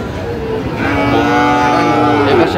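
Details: Sahiwal bull calves bought at a Naogaon cattle market on 24 June 2025; a sustained, slightly wavering moo fills the second half, overlapped by men's voices and faint vehicle noise.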